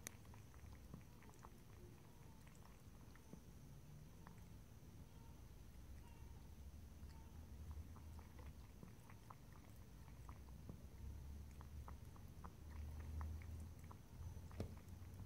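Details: Cat drinking and licking water in a quiet room, no talking; faint rhythmic lapping clicks come roughly three per second, growing busier toward the end, with a low steady hum beneath.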